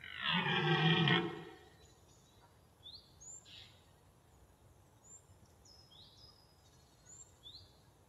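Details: A bull elk in its natural environment gives a mating-call bugle: a rough, roaring call lasting over a second, followed by faint high chirps.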